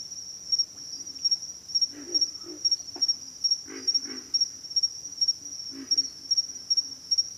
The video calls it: pig frogs - sound effect